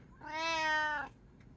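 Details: Domestic cat, one of three cats in a household, filmed in daily life: a single clear, drawn-out meow lasting nearly a second, steady in pitch and dropping slightly at the end, in a quiet room.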